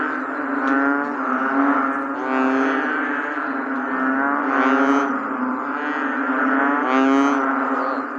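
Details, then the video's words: Rainy-day bullfrog chorus, with many deep, buzzy, mooing croaks layered into a steady drone that surges about every two seconds, plus a few brief higher clicks and splashes. "The Bullfrog 🐸during rainy days.🌧️"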